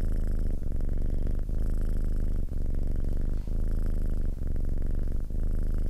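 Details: Domestic cat purring steadily and loudly, a deep rumbling buzz broken by short pauses about once a second as the cat breathes in and out.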